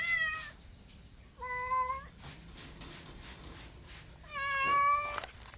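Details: Three distinct meows from a pet cat, spaced over a few seconds, each a clear harmonic cry holding pitch then sliding down slightly, the last one louder and longer, quiet room noise between them.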